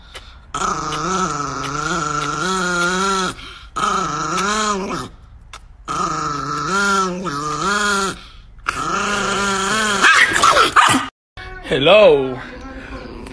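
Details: An angry, aggressive pet Chihuahua growls in several drawn-out, wavering bursts of a few seconds each, separated by short silences, with one sharper, higher rising cry near the end.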